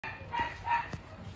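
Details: Three-year-old pet Chihuahua on the floor giving two short, tonal, harmonic barks or yips about a third of a second apart, then a brief softer sound; faint steady background hum throughout.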